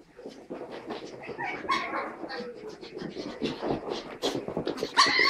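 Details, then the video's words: Pug puppy named Tilda and Chihuahua puppy Roz playing together, giving a dense run of scrappy growls, snuffles and small yelps with a few high squeaky whimpers near the end; a faint human voice at times. "Pug and a Chihuahua puppies playing"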